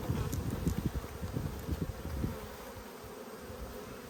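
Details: Australian honey bee colony, strong but short of food, examined on 5 February 2022; a busy, low buzzing with quick pulsing bursts for two seconds, then settling into a softer, even drone.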